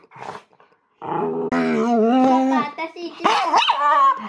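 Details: Indoor pet Miniature Schnauzer Mofu "singing opera" because he wants to join a board game: a drawn-out, wavering harmonic howl rising and bending in pitch, mixed with growly yips, alongside people talking.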